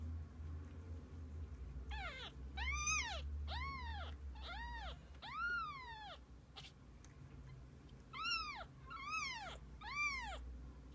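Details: Kittens with their mother cat: a run of about eleven high, arched, harmonic-rich meows, each rising then falling, bunched in two bursts with a pause between, over a steady low hum.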